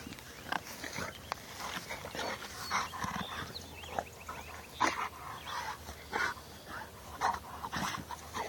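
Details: Bullmastiff x Boerboel cross dog giving short, rough mid-pitched vocal bursts. They come roughly every second, some grunt-like and some sharper, over a low steady background hum.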